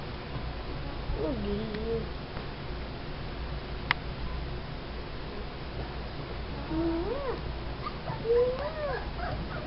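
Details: Soft-coated Wheaten Terrier puppy whining: thin, high, wavering whimpers that rise and fall, one short run early and a longer series of bending whines near the end, over low background noise.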